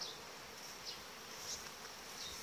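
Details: Continuous colony hum from a honey bee super colony of 18-19 frames at the end of July, after bees from broken-up nuclei joined it; an even, airy drone with occasional brief bright flicks of sound.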